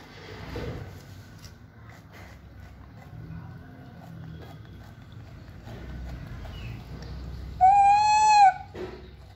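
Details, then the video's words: A monkey gives one loud, clear, tonal call lasting about a second, steady and slightly rising, after quiet background rustling. "monkey voice"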